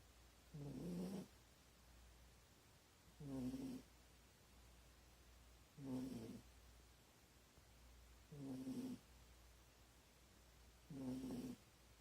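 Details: Corgi dog asleep in an awkward position, snoring loudly: five deep, rough, buzzy snores with a low hum, each lasting about half a second and coming roughly every two and a half seconds, over a quiet low background hum.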